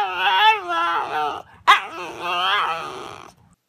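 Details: Dog making 'talking' vocalizations: two long, rich, wavering howl-like whines with bending pitch, split by a short sharp yelp in the middle.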